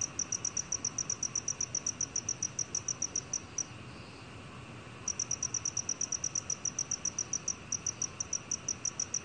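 A black field cricket gives a bright, high-pitched song of evenly spaced pulses, repeated several times a second. After a short pause of about a second and a half, the pulsing resumes at the same steady pace.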